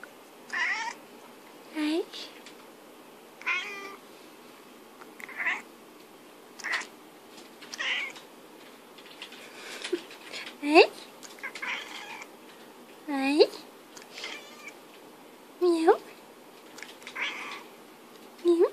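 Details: British Shorthair cat talking back to its owner: short rising and falling meows about every two to three seconds, traded with a person's quiet speech indoors.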